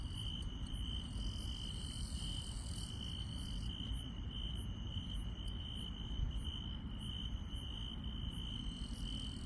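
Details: Night-time insects in rural countryside: a continuous piercing trill and several layers of higher, evenly spaced chirps keep going throughout, set against a dull low-frequency background hum.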